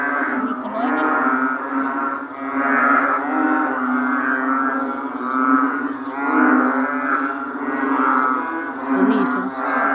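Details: Narrow-mouthed frogs in full chorus: deep, bleating, cow-like calls overlap continuously, the mass of sound pulsing louder roughly every two to three seconds across the whole recording.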